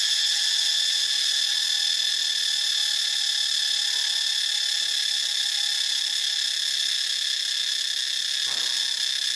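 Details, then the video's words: Continuous shrill cicada buzzing, recorded in Ubon Ratchathani, Thailand, holds an unbroken high metallic drone throughout. A faint low tone and a brief soft knock are also heard. "เสียงจักจั่น (Cicadidae)"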